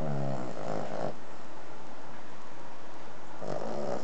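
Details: Ruby, a three-and-a-half-year-old Cavalier King Charles Spaniel, snoring while asleep: a low rumbling snore at the start and another near the end, separated by a quiet breathing pause.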